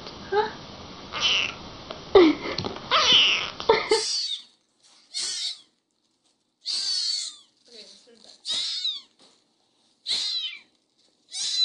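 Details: Small kitten meowing and chattering in a room: muffled voices and handling noise at first, then a run of short, high, thin mews every second or so with quiet gaps between.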